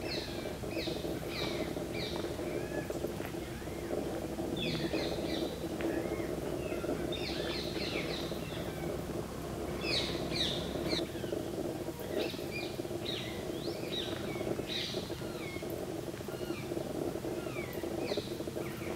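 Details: On a Kadam tree in Bharatpur Bird Sanctuary, fruit bats keep up repeated bursts of shrill, chattering, down-swept squeaks every few seconds, layered over a continuous low rumble of ambient noise.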